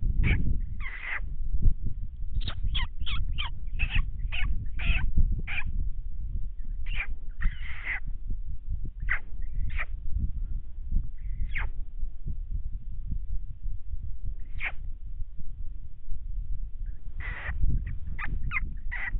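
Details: Coyote groups howling in 2019, three packs heard while one crept along a fence line after deer: bursts of clustered yips and wavering howl notes, a pause, then a fresh flurry near the end, over constant low wind rumble.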